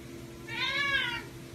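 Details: Egyptian Mau cat meowing after catching a rat: a single softer, arched meow that rises then falls over about two-thirds of a second, over faint background hum.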